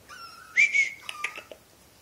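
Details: Pomeranian puppy named Foxie howling as its owner comes home, indoors; thin, high whistled notes that hold steady, then rise sharply into a louder wavering tone before a few short yips.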